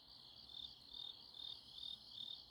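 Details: Grass insects on a Chuncheon autumn night, South Korea: high, ringing chirps in even pulses about every half second, forming a steady shimmering chorus with no other sounds.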